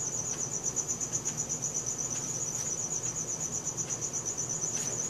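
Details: At night a cricket trills steadily, recorded with a Samsung Galaxy S4; the thin, high, rapidly pulsed tone holds level throughout while faint low hum sits underneath.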